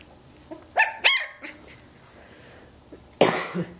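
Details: Athena's 17-day-old Samoyed puppies starting to play together; two quick, sharp, high yips sound close together, then a quiet pause before a rough, breathy burst near the end.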